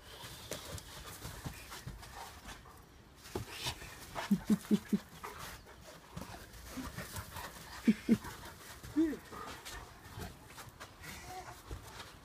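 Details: Great Pyrenees playing excitedly in the garden in the evening before a walk, let out late because of garden construction work. It gives short, low, tonal yips in a quick burst of four, then two more and a single drawn-out call, with human voices and rustling.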